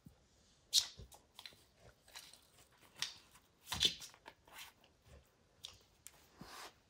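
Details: Max the dog focused on destroying a baseball hide indoors, crunchy bites and tearing of the leather cover, sharp loud cracks spaced irregularly with softer gnawing in between, no talking.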